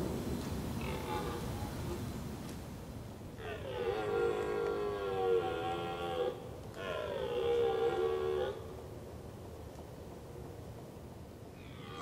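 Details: A red deer gives two long, harmonic, slightly falling bellowing calls separated by a brief pause, recorded in the Veluwe during a fatal encounter between a female and a male.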